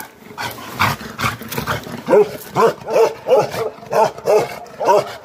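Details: Bakarwal sheep guardian dogs barking aggressively, a muffled noisy start giving way to a regular series of about eight deep, resonant barks roughly every third of a second, each with arched harmonic structure.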